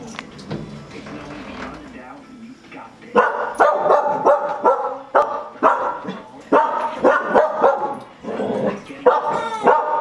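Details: Dog barking at a vacuum cleaner indoors: after a quieter start with talking, loud harsh barks come in bursts, roughly two per second, with machine hum underneath.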